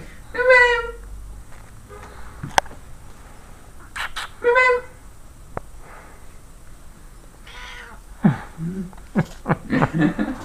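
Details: Domestic cat in bed, June 2013, not in a mating mood: two drawn-out, harmonic meows about four seconds apart, then a run of short clicks and knocks with faint talking in the room.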